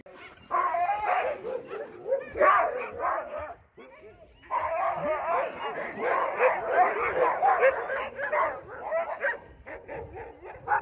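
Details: Friendly sled dogs in Alaska, trained to be sociable, greeting a visitor; a chorus of excited high yips, whines and barks runs almost without pause, with a short lull near the middle, and a voice heard faintly.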